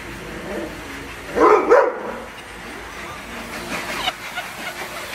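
A Doberman gives a sudden loud, gruff bark, then a fainter one, a frightened dog turning defensive.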